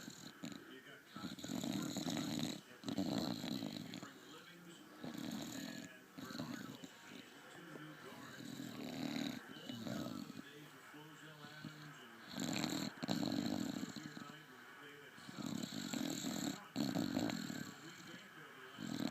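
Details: Sleeping bulldog snoring: rough, breathy rasps that swell and fade roughly every two and a half seconds, with a steady low hiss between breaths.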